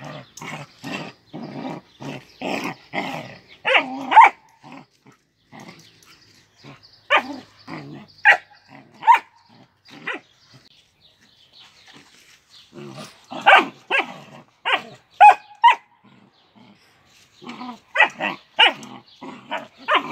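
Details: Sibling Doberman puppies fight and scuffle, trading high yips, short barks and rough growls in quick bursts.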